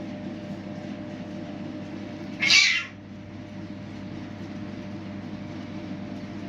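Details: Hungry street kittens come to be fed outdoors; one short, high, strained meow rises out of constant low rumbling background noise.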